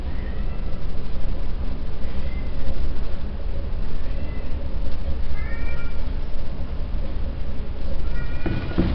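Persian kittens give thin, high mews that rise and fall, over a steady low rumble.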